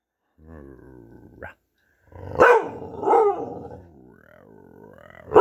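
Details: Playful dog vocalizing: a thin harmonic whine opens, then rough, wavering growl-barks rising and falling in two swells, ending in a sudden loud bark.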